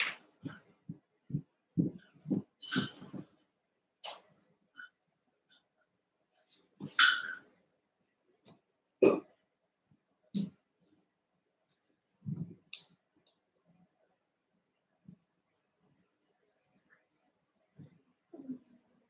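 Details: Overnight puppy cam of Cavalier King Charles Spaniel puppies Cooper, Conner and Jenny, born 06/09/2022; irregular short yaps, grunts and snuffling huffs, often about two seconds apart, busiest early and thinning to scattered soft sounds later.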